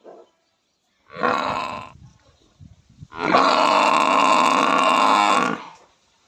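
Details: A buffalo makes a short, hoarse call, then a longer, steady, droning bellow of over two seconds, with brief grunting noises between them.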